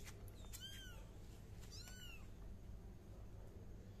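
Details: Kitten giving two quick high meows close together, each a thin arching tone with stacked overtones, the second longer and falling at its end, over a steady low hum.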